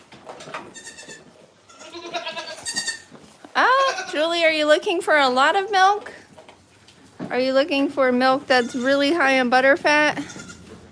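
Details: Two long bouts of loud, vibrating goat bleats at The Willful Goat Farm & Home, each roughly two to three seconds of trembling cries, preceded by softer calls.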